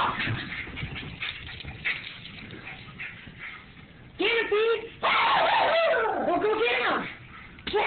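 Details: Two miniature Schnauzers wrestling with each other after their bath, letting out short harmonic yips and wavering whiny growls in bursts near the middle and end, with low rustling and scuffling between calls.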